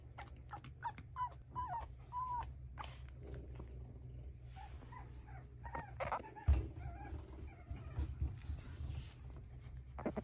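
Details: French Bulldog, a young male shown by a breeder, giving short high whimpering yips and squeaky rising whines in bursts over the first half, then quieter scattered whines over a low constant hum with faint handling noises.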